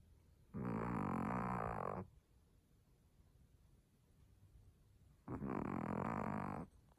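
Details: Sleeping Chihuahua snoring like an old man; two long, loud, rasping snores of about one and a half seconds each, about four seconds apart, with quiet breathing between.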